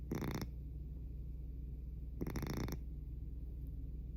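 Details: Very loud snoring from a sleeping house cat: two gravelly snore bursts about two seconds apart, the second longer and stuttering, separated by a quiet stretch.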